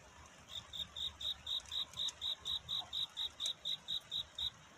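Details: Courting at night, a cricket sends out a clear series of bright chirps, about seventeen in under five seconds, evenly spaced and rising in loudness at the start over a quiet background.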